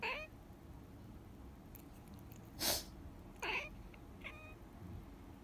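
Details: Pet cat reacting to its owner's sniffling indoors: a short harmonic meow at the start and a brief faint one near the end, between two loud breathy human sniffles in a quiet small room.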